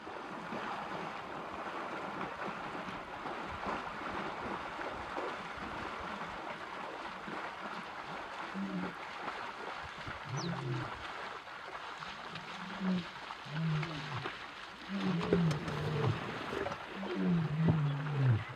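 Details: Wild male lions of the Nkuhlu coalition roaring while chasing an unknown intruding male back across the Sabie River, Kruger National Park. Low, moaning grunts repeat in a series over the last ten seconds against steady rushing water and wind.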